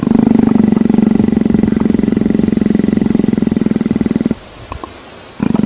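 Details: A leopard that loves being petted gives a low, rapidly pulsing rumble for about four seconds, then falls quiet with only faint handling noises before the rumble resumes at the end.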